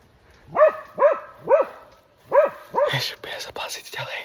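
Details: Alpine Dachsbracke Falco baying while tracking a wounded wild boar into thorns, 6 August 2024; four loud, evenly spaced barks about half a second apart, then further barking mixed with brushy rustling and a man's voice.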